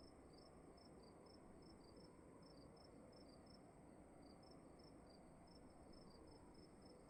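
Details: Crickets heard inside a room give rapid, high chirps in a steady pattern, a second caller slightly lower in pitch alternating with the first, over persistent low hiss and hum.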